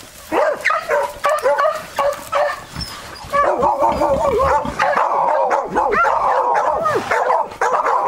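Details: Beagle; baying; giving tongue while hunting wild boar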